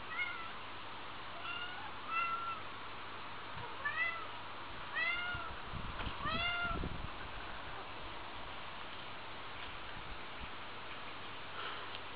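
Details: Pair of house cats producing scattered short arched meows, fainter and more spaced out, between low rumbling thuds and a constant hum.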